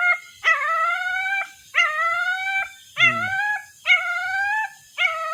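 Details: A young dog cries for its mother in a run of five drawn-out, high whining howls, each rising slightly before breaking off, spaced about a second apart; one short low rumble sounds in between.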